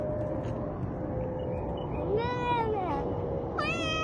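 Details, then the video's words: Domestic cat giving two short meows late on, the first a rising-then-falling wail, the second a brief bright mew, over a steady low hum and background noise. "funny cat sounds"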